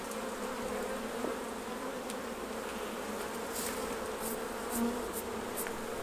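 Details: Hive bees humming during a beekeeping honey harvest, a continuous, unbroken low buzz with a few faint ticking sounds overhead.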